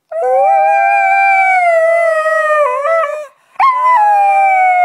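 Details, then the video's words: Husky named Delta singing along with her owner, recorded 25 Nov 2010; a sustained, even howl that wavers near its end, then a short pause and a fresh howl starting high and sliding gently down. "Delta Howling Singing"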